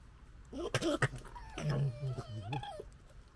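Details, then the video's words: Two European red fox cubs in the urban UK gekkering, recorded on a DJI Osmo Pocket 2: a run of harsh, warbling chatters with wavering tones, some rising and falling, over a low background rumble. "Fox cubs gekkering"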